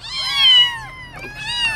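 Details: Motherless kitten, found on the street 15 days earlier and now cared for at home, gives two high, clear meows, the first rising then sliding down and drawn out, the second shorter after a brief pause; no other sounds.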